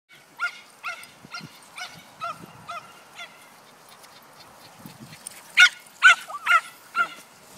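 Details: Cesky, a female dog, gives excited barks while being chased in her favourite game: short, bright yelps repeated roughly every half second, with a quieter middle stretch, then a louder final burst of four sharp barks.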